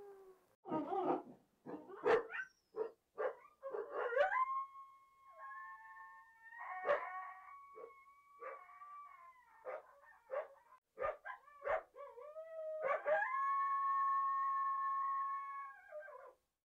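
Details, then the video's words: Coyote giving a burst of short, rough yips that turn into a long, steady, harmonic howl, wavering slightly before it breaks off. "Som de Coiote uivando"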